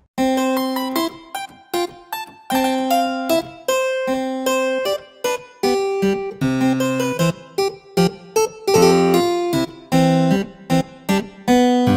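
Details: Bright electric piano music with repeated chords and short pauses fills the recording, and no animal sound is heard.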